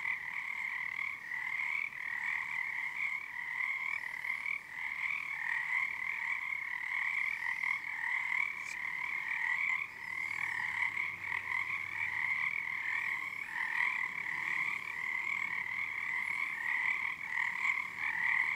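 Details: Night chorus of numerous frogs at Frog Korner on Harstine Island, Washington, February 2021, under the season's first full moon; sustained pulsing trills in two layered pitches throughout, waxing and waning as the callers sync.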